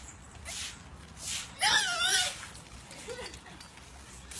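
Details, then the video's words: French Bulldog giving a high, warbling, squeaky whine likened to a dolphin: one wavering cry that bends up and down mid-clip, then a short squeak near the end, with soft snuffles and breathy sounds around it. "french-bull dog sounding like a dolphin"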